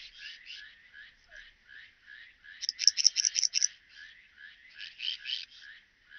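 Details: Song of the graceful bush-cricket recorded at Vela Ucka, Croatia, 30 July 2023: quiet rhythmic chirps building into a loud one-second run of sharp rasping pulses, then fading back to softer repeated chirps.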